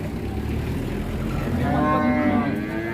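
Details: A massive raging cow coming down off a truck in Indonesia lets out a short rising moo in the second half, set against a constant music track and low engine noise.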